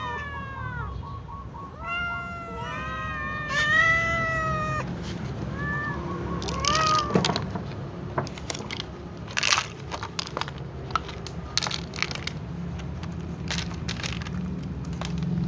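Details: Little cat meowing before feeding among other cats: several quick, arched meows in the first seven seconds, then sharp clicks and crunchy eating-like noises fill the rest over a low hum.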